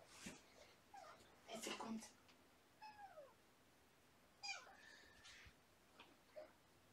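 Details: Young kittens from a litter of three, Button, Puck and Sequins, at a shelter in the morning: a thin descending meow, then a longer wavering one, quiet against room hiss with faint voices and rustling.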